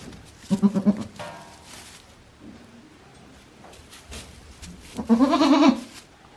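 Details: Day-old baby goats at a handmade farm in Japan, April 2024, giving a short stuttering bleat early on, then a loud, quavering, harmonic bleat lasting under a second near the end, with soft rustles in between.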